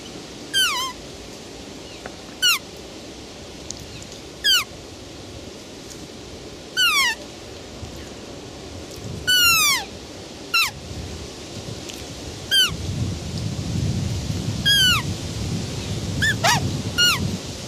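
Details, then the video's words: Series of roe deer squeals, short falling high notes repeated every one to two seconds, some doubled or wavering, with a louder low rumbling background building in the final seconds. "ROE DEER SOUND EFFECT 노루 울음소리"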